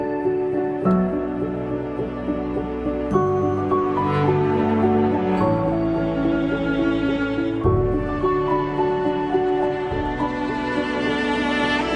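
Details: Soft, sustained ambient music with slow piano-like chords fills the whole stretch, with no animal sound.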